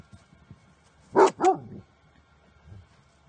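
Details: An eleven-year-old Pekingese female named Chichy plays with her owner and other dogs, giving two quick loud barks in close succession, then quiet shuffling and a faint low grunt.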